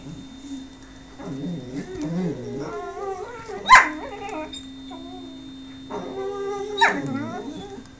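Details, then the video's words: Whippet pleading for affection from a person who ignores it; long wavering whines rising and falling, two sharp yips near 3.7 and 6.8 seconds, over a constant background hum. "Whippet Love"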